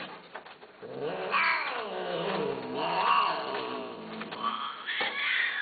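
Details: Cats kept for sale yowl in long wavering, caterwauling cries that swell and sag in pitch, with two main drawn-out wails and a sharper cry at the close.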